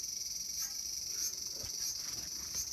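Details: Cicada in a small home garden, August 5, 2020: a short stretch of steady high whining buzz with gentle pulsing every half second or so, against a soft low background.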